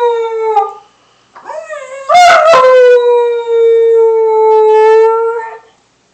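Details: Puppy named Lily gives a sustained, clear howl: a brief wavering start, a rough catch, then a long steady, pure note that holds nearly level for about three seconds before fading.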